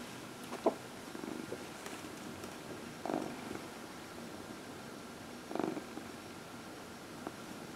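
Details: Fourteen-year-old adopted cat Dinah, being massaged during her early-evening lap time, gives faint purring with short louder rumbling swells near three and five and a half seconds, plus occasional clicks.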